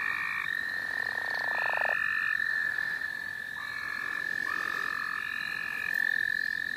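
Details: Frogs heard in the St. Olaf College Natural Lands: a thin steady trill carries on beneath shorter buzzy bursts at several pitches, with faint rising notes above and some background hiss.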